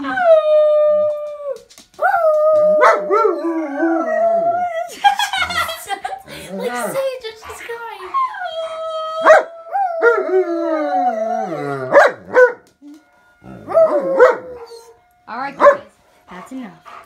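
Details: A German Shepherd howls along to a siren with a husky, giving long, wavering howls that slide up and down, with voices in the background.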